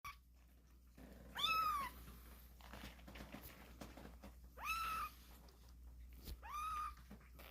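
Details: Kittens crying vigorously indoors: three arched, harmonic meows spaced a couple of seconds apart, each rising then falling, over a low steady hum and soft room rustle.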